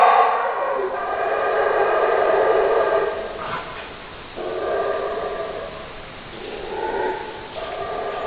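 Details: Long, hoarse roaring howls from a howler monkey, a sustained rich chorus broken by brief dips and gaps, then resuming in several loud surges.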